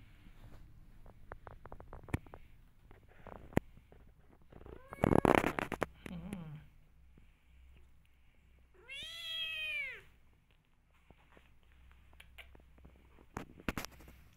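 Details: Rescue kitten indoors with bursts of scuffling handling noise, then a single loud, drawn-out arching meow lasting about a second, followed by quieter clicks and rustles.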